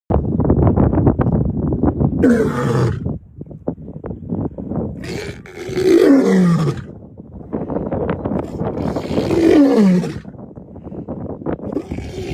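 A lion roars in deep, rumbling bursts that slide downward, broken by breathy grunting pauses.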